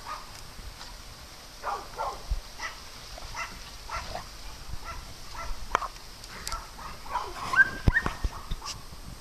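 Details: Dogs at play on a farm, giving short, scattered yelping barks and soft whimpers at irregular intervals, with some rustling and thumping in the background.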